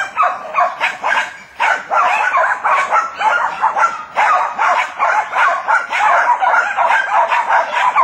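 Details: Several Jack Russell Terriers hunting wild boar keep up a frantic, overlapping chorus of shrill barks and yelps at a rapid, uneven pace, with faint human voices.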